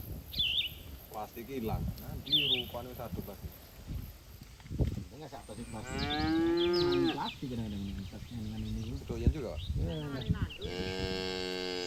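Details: Farm cattle in a herd on green pasture, feeding on grass; a long drawn-out moo arches up and down midway, a second lowing follows near the end, with small chirping birds at the start.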